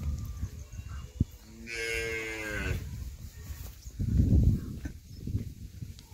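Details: Khillar cow, offered for sale together with her calf, gives a single harmonic moo lasting about one second, steady in pitch, followed by low thumping and rustling handling noises nearby.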